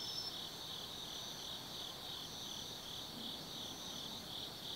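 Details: Autumn insects on an autumn night at Tsukimi no Mori, 180 m above the Nobi Plain in Kaizu, Gifu, Japan: a dense, steady high chirring chorus with a softly pulsing band beneath a thin, brief upper trill.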